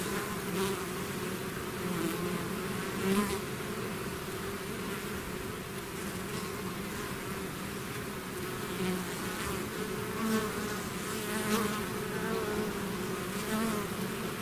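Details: Swarm of bees out of the hive producing an unbroken buzzing drone, low humming bands holding steady with small surges as individual bees pass closer.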